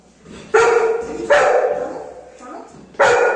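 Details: Anna, a pet Golden Retriever, complains to her mom, annoyed that her hot rice is slow to cool. Three strong, whiny, harmonic bark-grumbles with a softer murmur between them, spaced unevenly over a few seconds.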